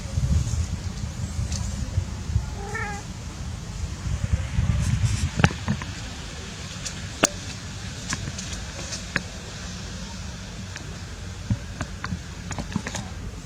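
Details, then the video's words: During play among cats, one brief, thin meow sounds early on, followed by scattered sharp clicks and taps over a low, steady background drone. "Playing cats"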